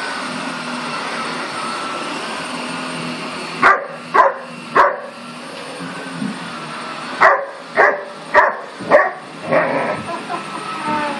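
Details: German Shepherd puppy going after a "monster"; after quiet, bursts of short sharp high barks and yips come in irregular clusters of three to five, over a steady background hum.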